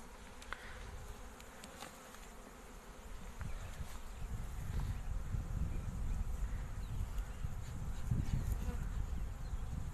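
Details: Honey bee colonies at an apiary kept in hives for honey farming: a dense, low droning hum swells steadily louder over ten seconds, with scattered faint clicks and taps above it.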